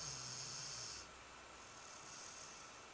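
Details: A sleeping nine-month-old dog snores: one raspy, hissing breath with a low rumbling undertone lasts about a second, followed by a quieter, fainter breath near the end.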